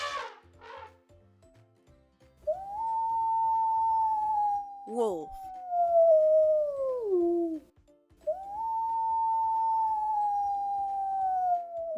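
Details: Wolf howling: two long, pure, steady howls, each holding one pitch before sliding down at the end. A short voiced call falls between them, and a brief spoken word and faint music are also present.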